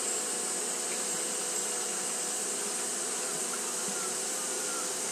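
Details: Japanese honey bees keep fanning through the heat, producing a level, droning hum with bright hiss on top; the sound stays even, with no breaks or other clear noises.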